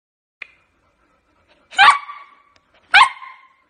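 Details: Small dog giving two sharp, bright barks about a second apart, each a quick burst with a ringing tail, after a faint short click.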